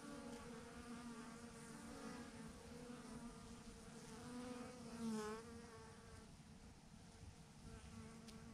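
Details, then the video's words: Thousands of honey bees hanging in a massive clump on a branch, buzzing steadily: a droning hum with stacked harmonic bands that swell and waver as individual bees fly close past. "thousands of BEES hanging on a branch in a massive clump"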